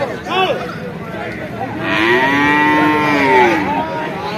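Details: Bull calf at the Vaniyamkulam market during morning trading: after a brief voice, a clear, smooth moo lasting about two seconds rises gently and then tapers off, with quiet market noise around it.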